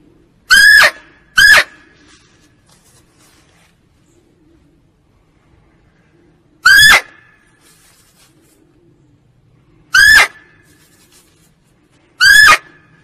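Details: Female barking deer calling, played as a hunting lure: short loud nasal squealing calls, a quick pair near the start, then single calls every three to four seconds, five in all, over near silence.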